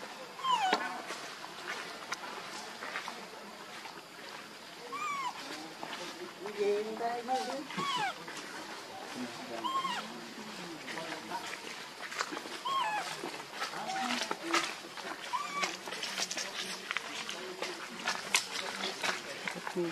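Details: Monkey scene featuring Luna and her baby: repeated short arched squeals and whimpering cries rising and falling in pitch, some overlapping, with sharp clicks and rustling throughout.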